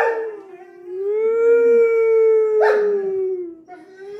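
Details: Doberman Pinschers howling after being set off by an air horn sound effect; a single sustained, slightly rising then falling howl with a brief harsher cry breaking in near the end.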